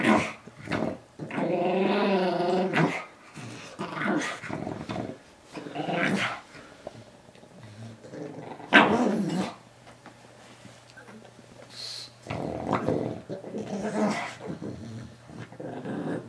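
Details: Moo Man, a pet Pug, battling his new toy guinea pig from Ikea in a small room; a long wavering growl early on, then shorter snarling growls and snorts broken by silences.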